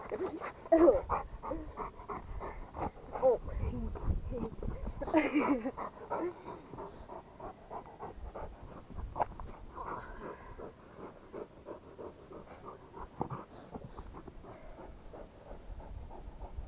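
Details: Rapid rhythmic panting from a Rottweiler, about four breaths per second, with human voices talking over the breaths in the first seconds.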